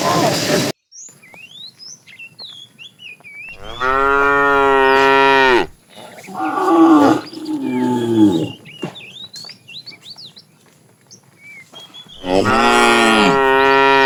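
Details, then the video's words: Morning herding of cows and calves roaming for food; three drawn-out harmonic moos, each one to two seconds long, separated by pauses full of busy bird chirps and twitters. "Cute sounds of calves"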